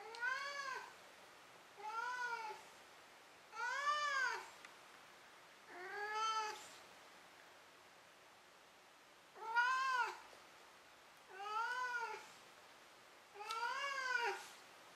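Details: Domestic cat meowing indoors before falling asleep; seven short arched, harmonic-rich meows, each under a second, repeated about every two seconds against a quiet background.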